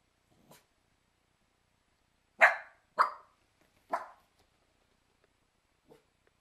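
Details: Cairn terrier pups playing with their mother: three loud, sharp barks roughly half a second to a second apart in the middle, with a few soft, brief yips before and after against an otherwise quiet background.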